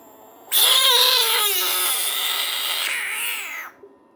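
A Budgett's frog lets out a loud, harsh scream lasting about three seconds, wailing and slowly falling in pitch.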